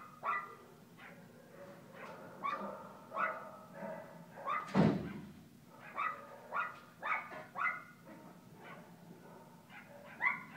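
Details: At Paws Pet Resorts Lake Forest doggy day care, Alaskan Klee Kai puppy Kooper plays, giving quick, ringing yaps repeated roughly every half second, one loud broadband bang near the middle, and a constant low background drone.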